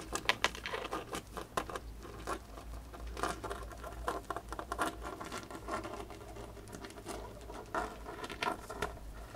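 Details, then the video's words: A female pet hamster eating a dried corn quickly, indoors, giving dense crunchy gnawing clicks and crackles in rapid irregular bursts over a low steady hum. "My Hamster Eating a Dried Corn"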